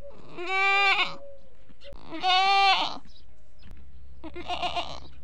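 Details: Local desi goats on a goat farm, bucks and does calling out for food or for their young, giving three wavering, nasal bleats, the last one softer and breathier, with quiet background between calls.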